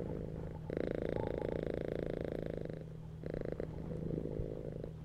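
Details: Relaxed domestic cat purring while lying on a bed: a buzzing, grainy rumble, loud for about two seconds, fading briefly, then returning more softly, with a steady faint hum in the background.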